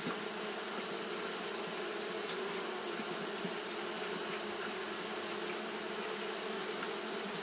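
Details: Steady fanning by Japanese honey bees in hot weather: an unbroken hum with slight pulsing in the low buzz, backed by a constant airy hiss.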